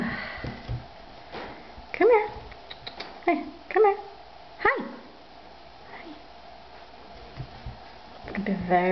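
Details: Young female Bengal cat, indoors, calls repeatedly: four short, bent meows within about three seconds, then quiet, with a man's voice returning near the end.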